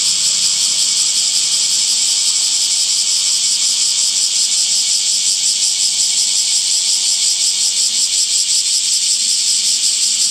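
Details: Cicada sound of summer as a continuous high, hissing drone, nearly even in loudness, with faint fast pulsing inside the buzz and nothing else clearly heard.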